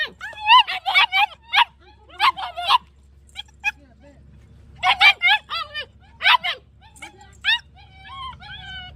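A German Shepherd gives high, sharp yipping barks in quick bursts with short pauses.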